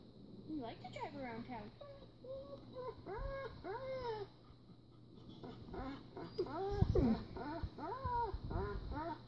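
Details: A German Shepherd gives a run of short, wavering howls that rise and fall in pitch while watching a video of another German Shepherd riding in a car.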